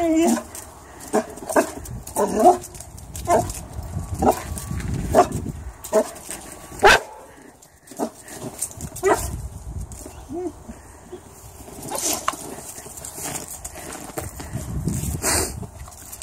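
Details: Cody, a Boxer puppy, playfully barks at a shadow. Sharp, broadband barks come in an irregular series, roughly one a second, with some short pauses. A person talks to the dog between the barks.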